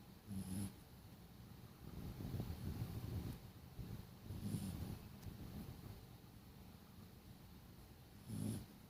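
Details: Sleeping dog snoring: low rumbling breaths with a faint hiss on top, coming about every four seconds, with a longer drawn-out rumble in between.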